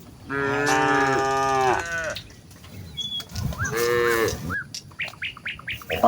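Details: A village herd of cows walking towards the fields in the morning calls to each other with long, drawn-out moos, with small birds chirping in the background.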